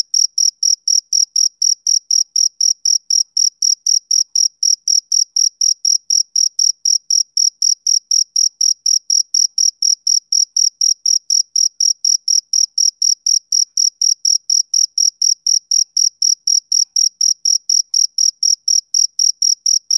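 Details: A male cricket chirps steadily on a summer evening, giving a long unbroken series of sharp, shrill chirps at a fast regular pace near four a second, with a clean, quiet background.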